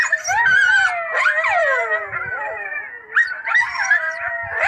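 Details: Loud coyote group chorus of warbling howls, descending whines and rapid high-pitched yips, many animals calling at once without pause.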